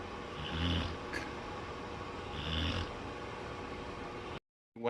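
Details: Black Labrador Retriever named Buddy, asleep on a bed after being frightened by thunder, gives two low, rumbling, breathy snores about two seconds apart while a woman speaks softly.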